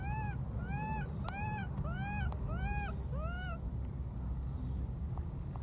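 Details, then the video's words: Wild baby monkey crossing water and calling for its friend: five clear, arching wail-like calls, each rising then falling, given in quick succession about half a second apart, then silence over a steady low rumble. "this cute baby monkey keeps looking for and calling for his friend"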